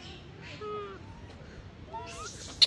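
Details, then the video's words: An abandoned infant macaque lies on the ground after its mother left it, giving wavering tonal cries that rise and fall, with a brief rustle and a sharp tap near the end. "Baby monkey lying on the ground crying"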